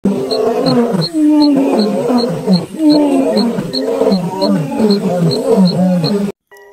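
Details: Three male lions moan and wail together in long, wavering, overlapping groans of distress; their skin is bruised purple-black, attributed to black mamba venom poisoning.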